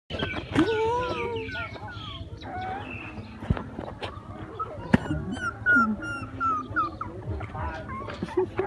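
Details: Puppies at play crying: a busy run of high, arching whines and squeals, many overlapping, some rising and some falling, with soft thumps and faint background murmurs.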